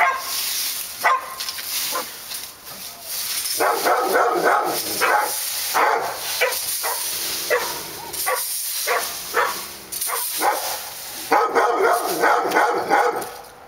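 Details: Barking dogs at Park Drive, a group sounding off in short rough volleys of several woofs each, separated by brief lulls, with a continuous hiss behind them.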